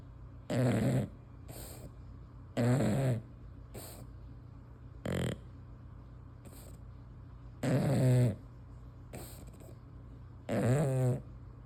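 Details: A female English Bulldog, asleep with her tongue hanging out, snores loudly with deep, buzzy, rattling breaths every two to three seconds and softer snorts between them, over a low steady hum.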